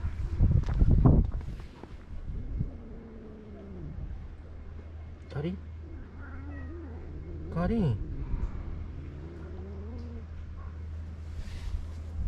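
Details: Karin, a ferocious stray cat in a Japanese park, jealous and irritated at a walking companion, gives long, wavering, drawn-out yowls between two and ten seconds after a loud rustle at the start, over a steady low hum.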